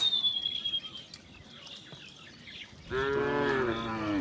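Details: Cow in a herd returning home through village streets on a bright morning: a high whistled bird note opens, then a single drawn-out, harmonic-rich moo fills the final second, falling slightly at its end.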